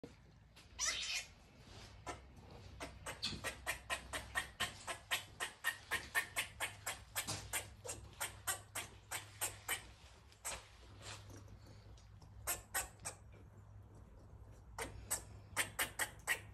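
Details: Rescued pet female squirrel in heat, giving mating calls and barking while eating her food; rapid series of sharp clicking barks, about three per second, pausing briefly then resuming in short bursts, over a low steady hum.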